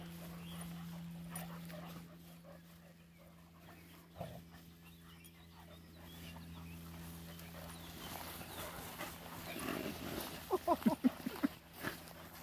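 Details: Dog from a Rhodesian Ridgeback and Irish Wolfhound encounter. A quiet, rustling stretch with low hum gives way near the end to a quick run of five or six high, tonal yelps.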